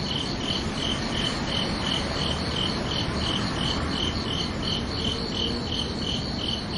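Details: Crickets at night giving a regular train of high, tinkling chirps, almost three each second without pause, against a loud steady background hiss.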